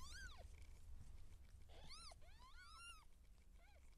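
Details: Labouring seal point Siamese cat giving birth. Rapid overlapping mews, each rising then falling, follow one another about once a second. One is brief and low, and faint rustling sounds between them.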